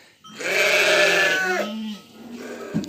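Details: Lambs on a farm in the evening, at feeding time after suckling from their mothers: one loud, harmonic, wavering bleat lasting about one and a half seconds, dropping in pitch at the end, with a faint steady tone behind.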